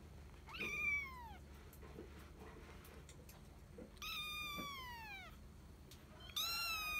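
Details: Female cat, a kitten, giving three meows: a drawn-out descending mew, then a louder falling meow, then a bright rising-and-falling meow at the end, over a quiet room hum.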